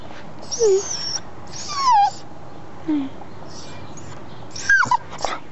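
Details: Indoors, a red male English cocker spaniel cries for his blanket, giving four separate thin whines spaced over several seconds, some sliding downward, one sharper and higher near the end, while a French-speaking woman talks quietly.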